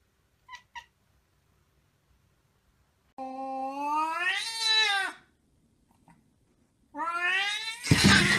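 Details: Domestic cat 'talking' indoors: two faint short chirps, a pause, then two long tonal meows, the first rising and falling over about two seconds, the second ending in a harsh noisy burst.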